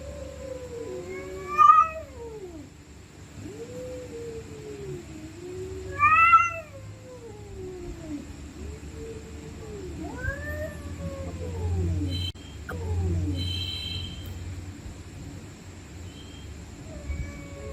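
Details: Stray cats screaming at night during a fight: a string of looping, warbling yowls, some sharply rising into shrill cries, separated by brief pauses, with low background rumble and a thin steady high tone throughout.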